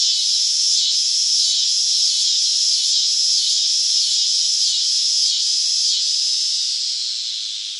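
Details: A cicada in summer sings a steady, high, hissing buzz that pulses gently throughout.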